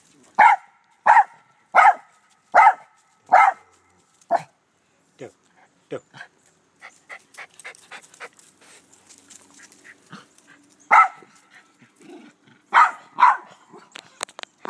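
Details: Doe, a black terrier, barks in a back yard shared with white Rat Terriers Moe and Sassy: five quick barks at the start, a quieter stretch of soft yips and rustling, then a fresh burst of barks near the end.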